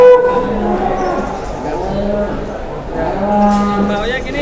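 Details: Cattle at a market lowing: three drawn-out, low, nasal moos, each about half a second, with a man talking over them amid a busy crowd background.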